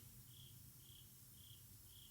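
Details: Cricket chirping at night, heard from inside a house and thought to be outside; four short high pulses repeated about every half second over a low steady hum.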